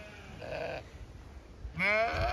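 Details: Zwartbles ewes in a field on a regenerative farm in County Kilkenny, Ireland, chattering while expecting to be fed: two harmonic bleats, a short wavering one then a louder rising, quavering bleat, with light wind in the background.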